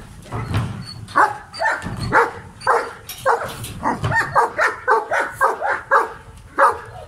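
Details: Barking from an aggressive male German Shepherd: a few deeper growly barks at first, then a fast steady series of sharp loud barks, nearly two per second, to the end.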